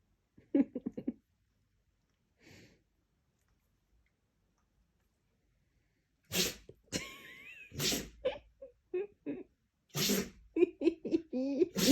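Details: Siberian Husky sneezing indoors: sharp explosive bursts after a quiet start, then a squeaky whine between them and a final flurry of snorting sneezes with short nasal squeals.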